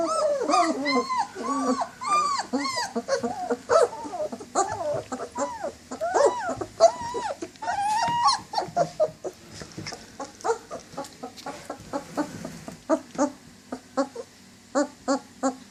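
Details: German Shepherd dogs whining in long, wavering, rising-and-falling cries that give way to a quick series of short, sharp yips spaced irregularly toward the end.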